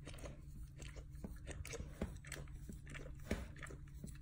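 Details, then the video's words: Dog gnawing and licking at its own rear end with gusto: rapid irregular wet clicks and crunchy bites, a loud snap near the three-second mark, over a steady low electrical hum. "Dog Chewing and Licking his Bunghole ASMR sounds"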